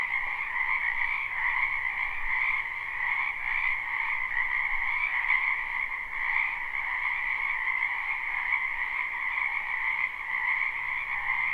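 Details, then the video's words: Chorus of many frogs in a wetland during spring, recorded live with no looping: an endless overlapping mass of shrill trilled croaks, evenly loud throughout, with a faint low hum now and then. "Ambient Noise for Sleep Frogs Black Screen"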